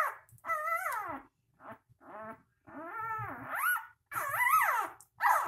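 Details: Three-day-old puppies cry in a run of high, wavering whimpers: each squeal rises then slides down, sometimes ending in a shrill upward squeak, with short silent gaps between cries and faint soft thumps low in the background.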